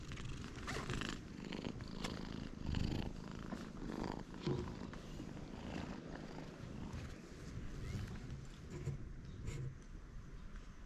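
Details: Stray cat on a cat island, where the cats huddle close together, filmed with a GoPro HERO8; a low, steady rumbling purr runs throughout with soft rustling and a few faint clicks.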